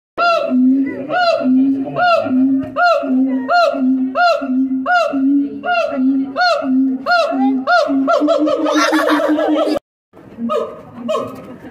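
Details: A siamang (Symphalangus syndactylus) at Chapultepec, Mexico, gives its loud call: booming hoots that swoop upward, repeated about twice a second.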